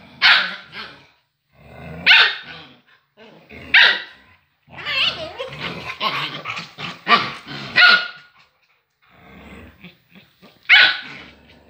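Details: Female grey-wolf agouti Husky fighting with a female puppy: harsh, noisy barks and growls in short bursts, with a cluster of rapid snarling barks mid-way and a final loud bark after a pause.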